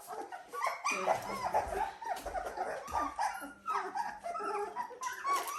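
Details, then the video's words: A litter of Dalmatian puppies aged 17 days, newly settled in an indoor pen, whimpering and yelping in a busy overlapping chorus of short wavering cries, with a low humming drone underneath. "Dalmatian puppies day 17"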